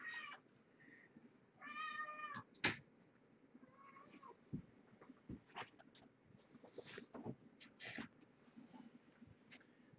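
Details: Domestic cat mother and her young kittens, born November 22 at a rescue shelter, at indoor evening dinnertime: a few short harmonic meows, one drawn-out, amid clattering, soft clicks and quiet room noise.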